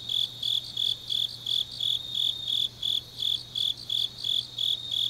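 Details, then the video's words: Autumn grass insects at night in Changnyeong, Korea, chirping in regular high bursts roughly three per second, a second fainter chirper layered above, over a quiet low hum. "깊은밤 가을 풀벌레 소리"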